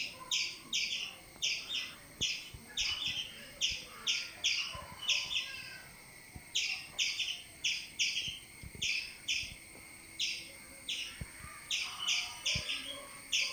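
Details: A squirrel chirps as a cat climbs up the tree after it and gets stuck. Harsh, clipped notes come in short runs of three or four with brief pauses between runs, steady and insistent, against quiet background noise.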